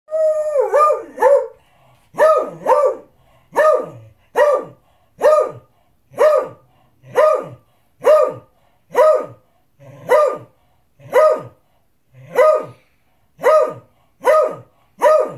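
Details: Beagle barking insistently while demanding his dinner: loud, harmonic barks with a falling tail, repeated about once a second in a steady run, a few quicker whining yelps at the start.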